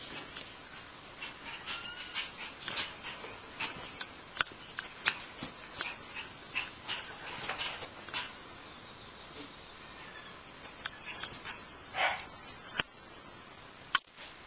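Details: Shiba Inu puppies give scattered thin, high whimpers and brief yelps, irregular and fairly soft. A louder squeal comes near the end and a sharp click just before the close.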